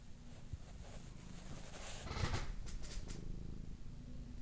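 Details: Lop-eared pet cat living in an apartment, purring: a low, continuous rumbling purr with short bright clicking and rustling noises around the middle, in a quiet indoor room.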